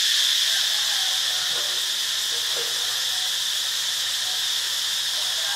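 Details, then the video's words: Cicada droning in Ubon Ratchathani, Thailand: an even, high-pitched hissing buzz held constant throughout, with a faint low hum underneath. "เสียงจักจั่น (Cicadidae)"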